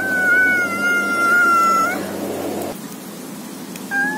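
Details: Domestic cat giving one long, steady, high meow held for about two seconds, then a short fainter meow near the end, over a low background hum.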